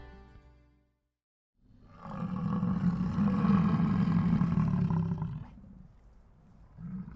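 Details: American bison in Yellowstone National Park gives a deep, rough, growling bellow that rolls on for about three and a half seconds, then fades to a low rumble before another starts.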